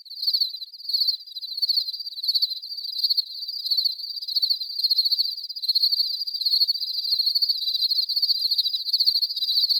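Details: Natural cricket chirping with no background noise, a steady run of high, pulsing trills that come in brief bursts at first, then blur into a nearly continuous shimmering chirp.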